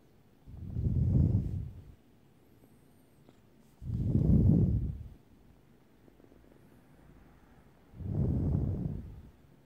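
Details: Short-haired Turkish Angora kitten purring: three low, rumbling bursts, each about a second and a half long, coming roughly every three and a half seconds with quiet pauses between.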